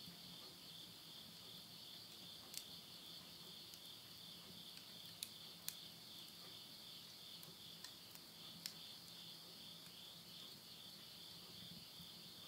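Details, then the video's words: Insects calling in the countryside of Tottori, Japan, at midnight in September 2020 as summer ends: a constant, faint high-pitched trilling drone, interrupted by a few sharp crackles of wood burning in a stove. "the voice of insects"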